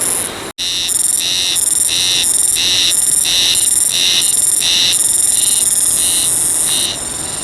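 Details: Haruzemi cicada singing in the wild, body vibrating as it calls: loud, shrill pulsed buzzing, bursts repeated about one and a half times per second in a steady rhythm, continuing through the recording.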